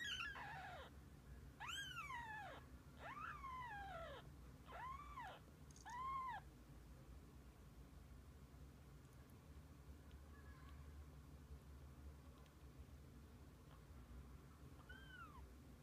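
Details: Kittens with their mother cat together through the day: a run of five arched, falling meows over the first six seconds, each rising briefly then dropping, followed by two fainter, softer meows later over a steady low indoor hum.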